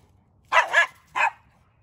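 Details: Dogs at play, German Shepherd Odin and little Bella harassing Samson the Boxer; a quick double bark followed by a single sharp bark, all bright and clear against near silence.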